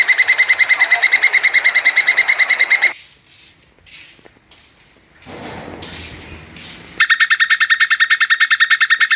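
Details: Plantain squirrel calling to mate: a fast, steady chatter of ringing pulses for about three seconds, a quieter stretch with scattered noise, then the rapid pulsed chatter resumes strongly.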